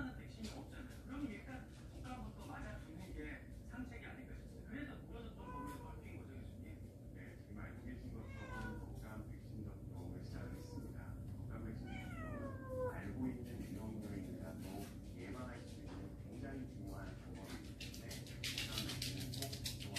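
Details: Indoors, one of a warehouse cat family that wandered into the house meows several times, with a bending, wavering cry midway, amid ongoing human voices.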